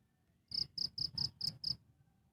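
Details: Cricket recorded live, a single burst of six sharp, high chirps in quick succession, evenly spaced about a quarter second apart, then quiet; faint low background hum.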